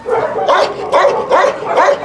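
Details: Dog at a husky kennel during recall training from free play, giving four loud, sharp barks spaced evenly about every 0.4 seconds, each with a short rising edge, with no other sounds clearly heard.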